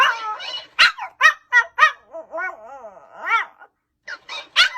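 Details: Pomeranian dog barking: bursts of short, sharp, high-pitched barks, a run of whiny, wavering yelps in the middle, then a brief pause before more quick barks.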